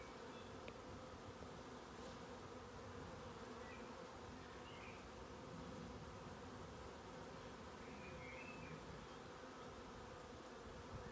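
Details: Steady, continuous drone of many honey bees after moving their position, a low throbbing hum holding constant throughout, with a few faint high bird chirps in the background.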